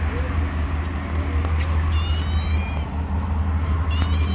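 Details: Kittens hiding under rocks, high thin meows rising and falling around 2 to 4 seconds, brief squeaks near the end, over a steady low rumble of background noise.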